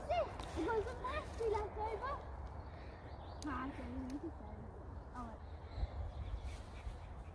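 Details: Alaskan Malamute named Sherpa vocalizing in a series of wavering, tonal yowls that rise and fall, several short ones early and lower, drawn-out wobbling notes later, with background rumble and a person nearby.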